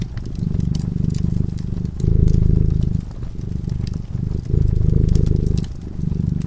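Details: A cat dozing by a cozy fireside gives a deep, rumbling purr. It comes in alternating louder and softer stretches of roughly one to two seconds, with scattered crackles and snaps from the flickering flames.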